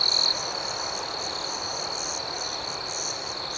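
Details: Crickets at night: a steady, shrill high trill runs throughout, with a brief louder burst at the start and faint pulsed chirps above it, under a soft hiss of night ambiance.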